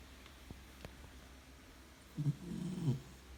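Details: Sleeping four-month-old brown Labrador Retriever puppy snoring loudly indoors: after a quiet start with a few faint clicks, a low rasping snore rumbles in the last second and a half.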